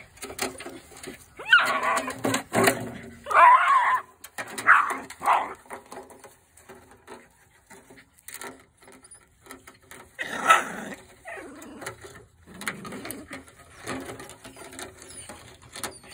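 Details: Jack Russell Terriers playing with an aluminum gutter: several loud, harsh bark and whine bursts around the start and again near ten seconds, with quieter scraping and human laughter between.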